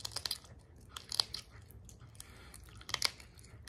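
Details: No animal voice; only crisp crunching and chewing noises in a small room, clustered in short bursts with quiet gaps between.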